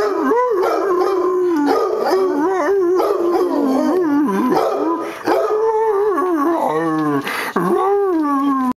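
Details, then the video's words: Hound dog on Mother's Day howling steadily, the voice wavering up and down in repeated bending notes, with a brief yip near the end before the long howl resumes and tails off. "Doc Howl"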